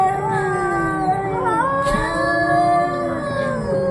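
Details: Cats arguing: a steady, drawn-out moaning yowl that holds its pitch with slight wobbles, joined by a second wavering voice partway through.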